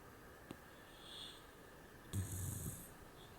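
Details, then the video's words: A little pet pig snoring while asleep indoors: low, rough snorting breaths near the end, with a faint hiss and a brief click earlier in a quiet room. "my little piggy was snoring"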